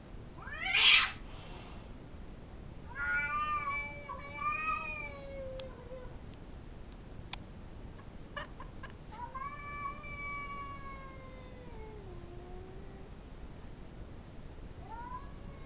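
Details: Female house cat growing territorial at an intruding cat in the backyard, letting out drawn-out, wavering, nasal yowls that rise and then slide down, in several long phrases after a sharp opening noise.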